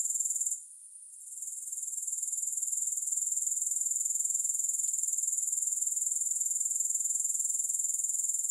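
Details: Grasshopper sound without music: a short lull at the start gives way to a bright, sizzling trill that pulses rhythmically around four times a second, with one faint tick midway.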